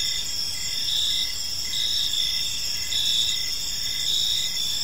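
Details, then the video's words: Crickets chirp through a calm evening in a park, a bright high trill rising and easing in slow pulses about once a second, with low ambient rumble beneath. "Cricket Sounds in a Peaceful Park"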